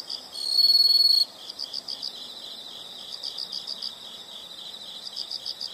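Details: Nature recording of insects: a short, loud high buzzing trill near the start lasts under a second, followed by quieter bursts of quick, evenly pulsed chirps recurring in groups over a faint hiss.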